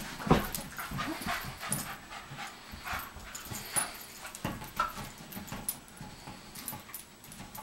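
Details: Soft-coated Wheaten Terrier Cianán panting while sitting on a fitness ball: quick, breathy bursts repeated about twice a second, uneven in strength, with a faint squeaky whimper now and then.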